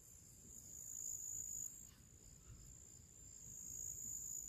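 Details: Pre-evening cricket chorus in a summer meadow with purple flowers: a shrill, unbroken high trill, rising and falling gently in loudness, with a soft low rumble underneath.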